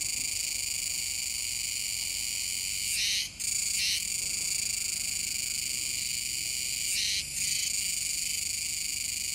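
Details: Kuroiwa's cicada chorus at a river mouth in Tenjin-chō, Nishinoomote, Tanegashima, on 7 September 2022: continuous high-pitched droning, with two quick double surges near three and seven seconds.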